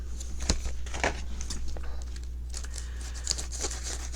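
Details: Indoor crinkling and tearing of paper or fabric over a low steady hum, with no animal sounds.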